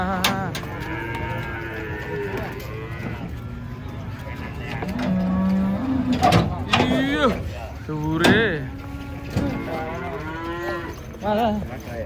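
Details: Large fierce cattle descending from a truck; a series of long lowing moos, some rising and falling, broken by clanks and bangs of metal and hooves.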